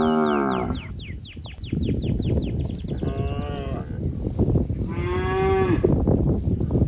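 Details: Cattle wandering a flooded rice paddy, a calf calling for its mother: two drawn-out moos about two seconds apart, the second one higher and steadier, over a busy rustling background with high, sweeping bird chirps early on.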